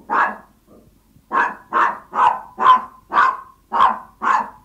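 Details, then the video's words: Small Yorkshire Toy Terrier asking its owner for food with steady, evenly spaced high barks, about two per second, after one opening yap and a short gap with a faint whimper. "Som do cães Yorkshire Toy Terrier latindo, quando esta com fome"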